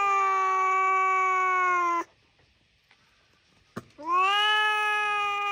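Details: Domestic cat giving two long, steady, tonal meows, each about two seconds, the first level then dropping, the second rising then holding, with a short click and near silence between them.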